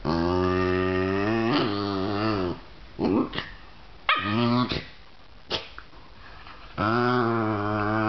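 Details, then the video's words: Two basenjis, a visiting female and a resident dog, playing and teasing each other in their own basenji way. Long wavering, throaty yodel-like growl-whines lasting over two seconds, broken by short sharp yelps and gasps, then another drawn-out wavering howl. "basenji teasing"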